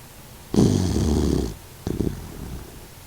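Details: Sleeping Doxiepoo Kokomaro, a 16-year-old mixed-breed dog living with stomach cancer, gives a deep buzzing snore of about one second, followed by a shorter, softer rattling breath.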